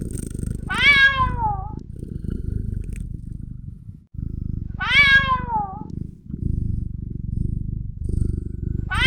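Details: Kitten meowing: high, harmonic-rich meows that fall in pitch, about four seconds apart, over a steady low rumbling purr-like background.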